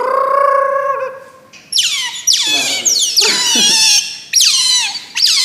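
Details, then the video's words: Otter (berang-berang) calling with high, piercing squeals that sweep downward, overlapping harmonic cries repeated roughly every second, opening with a steadier whine; no other sounds. "Suara Asli Berang Berang ( Otter )"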